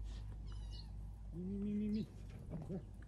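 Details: Little cat hiding in a Gaza tunnel from bombing utters a thin high meow, then a longer, steady, low drawn-out tone, against a constant low rumble, with a person nearby calling it to come.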